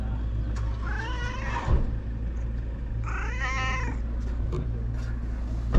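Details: Stray cat on a cat island, recorded on a GoPro: two clear, drawn-out meows, each rising then falling and lasting under a second, with a pause between, over a constant low hum and occasional thumps.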